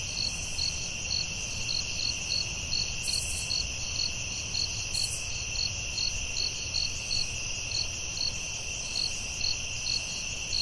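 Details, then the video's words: Night chorus of crickets in the forest, a continuous shrill ringing tone layered with evenly spaced bright chirps, two brief higher buzzes near the start, faint low rumble underneath. "Soothing Cricket🦗 Sounds at Night"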